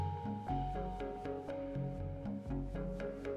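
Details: Mallet-percussion music with plucked bass notes in a steady bouncing pattern, no animal sounds.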